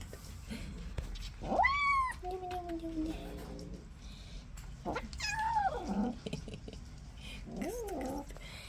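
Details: Upset kitten, newly brought home and unhappy with the other cats, makes a series of varied meows: a sharp rising cry, a lower wavering moan, then two shorter falling mews, indoors with music and faint voices.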